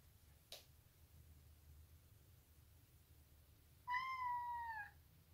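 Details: A female Maine Coon cat, making odd sounds while fighting, gives a single short, clear mew that holds level, then dips at the end.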